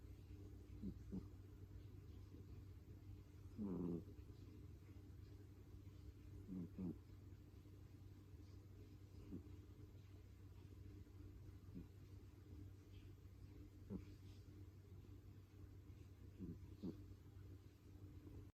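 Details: Domestic cat snoring: soft low rasping snores roughly every three seconds, some louder and buzzier than others, over a steady low rumbling hum in the background.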